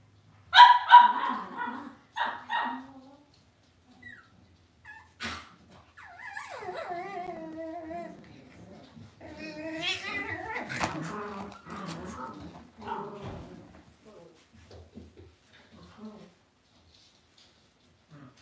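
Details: Cavalier King Charles Spaniel puppies raised indoors in a home puppy pen: a quick burst of sharp yips opens, then wavering, sliding whimpers and whines follow in loose runs before fading to quiet.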